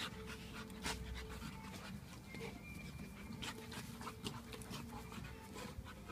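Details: One-year-old Labrador Retriever pup play fighting in a garden with a Japanese Akita: rapid, breathy panting bursts repeating through the clip, with a faint steady hum in the background.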